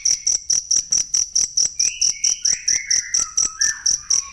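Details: Cricket sound for training songbirds (masteran): shrill, evenly spaced chirps, with a bird in the background giving a string of clear whistled notes that step downward in pitch.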